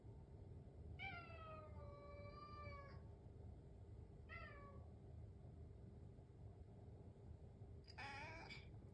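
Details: House cat meowing in the morning while waiting for its breakfast: a long drawn-out harmonic meow lasting about two seconds, a shorter falling meow, then a higher, strained meow near the end, over a steady low indoor hum.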